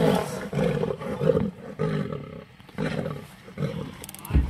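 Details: Lion attacking a leopard to steal bait: a run of rough, low, pulsing roars and growls, several bursts spaced under a second apart, a short pause midway, then more growling and a loud thump at the end.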